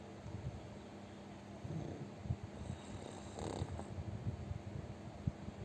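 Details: Plump pet pug asleep and snoring heavily and loudly: a low, rough rumble of nasal breaths with soft snorting pulses, swelling into a fuller breath midway, over a steady faint indoor hum.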